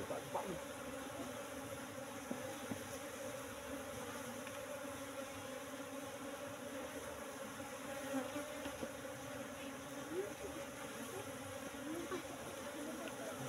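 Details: Colony of Apis cerana, the Asian honey bee, in a cultivation box about three months after transfer from the forest, droning continuously as honey is harvested; even, sustained hum with brief clicks and handling noises.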